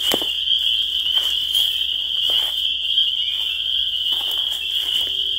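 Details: Massed spring peeper calls form an unbroken shrill, high whistling drone, with several short faint clicks and taps scattered through the background.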